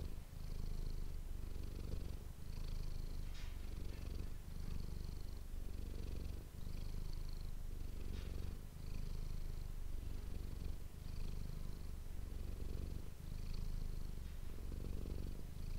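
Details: Manis, a pet cat, purrs continuously into an ASMR microphone. The deep pulsing rumble swells and fades with each breath in a regular rhythm, with faint soft rustles above it.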